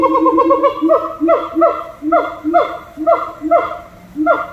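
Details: Monkeys at Little Rock Zoo sing rapid, rich harmonic notes that soon settle into repeated downward-sliding hoots, several per second, each with a short rising start, over a faint background murmur.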